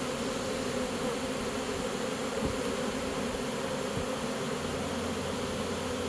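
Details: Honey bees of a captured swarm marching into a new home, giving a steady, many-voiced buzzing hum with a low tonal layer, interrupted by a few soft taps.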